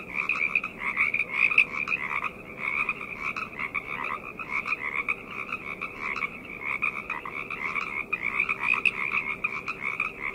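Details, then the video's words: Many frogs croaking together at night, a dense unbroken chorus with rapid pulsing bursts layered over two bright tonal bands, and a soft background hum. "Frog Chorus - Night Ambient Sounds"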